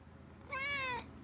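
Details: A 4-year-old male silver Bengal cat gives one clear, slightly drawn-out meow that sags in pitch at the end, talking back when scolded for biting.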